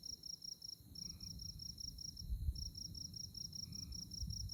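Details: Moonlit night on the tallgrass prairie of Konza Prairie Biological Station, Kansas: insects chirp in quick high pulses grouped into bursts, two faint lower notes appear, and low wind noise swells throughout.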